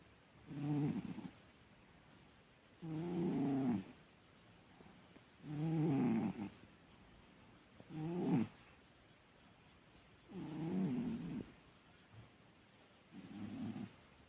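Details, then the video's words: A sleeping cat snores loudly, giving six rasping, buzzy snores of about a second each, roughly every two and a half seconds, with quiet pauses between. "кот громко храпит"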